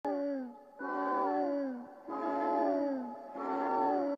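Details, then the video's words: Cat calls, three long drawn-out wailing meows, each about a second long with rich harmonics and a falling ending, separated by short gaps; clean recording with no other sounds. "TikTok Cat Sound"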